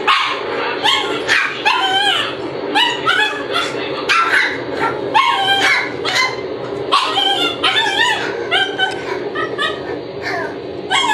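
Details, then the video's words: Shiba Inu puppies yelping almost nonstop, many overlapping high, arching cries, some rising then dropping, packed one after another over a constant low hiss. "Chiots Shiba et bruitages"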